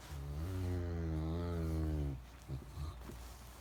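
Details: Max, a Great Dane lazily getting out of bed, gives a long low droning moan with stacked harmonics lasting about two seconds, then trails off into soft breathy grumbles.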